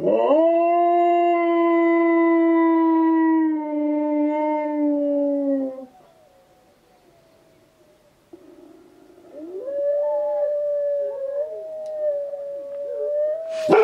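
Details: Husky and German Shepherd mix responds to wolves howling with a loud sustained howl lasting nearly six seconds, gently falling at the end; after a quiet pause, distant wolves answer with overlapping wavering howls.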